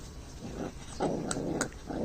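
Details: Dog giving a short, rough whining call that swells for about a second, after a softer lead-in, with low background rumble and people talking in Vietnamese just before and after.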